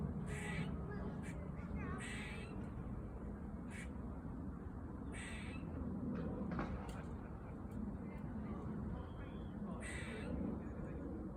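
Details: A squirrel in a park in autumn gives loud, harsh, raspy calls in short bursts every few seconds over a low rumble.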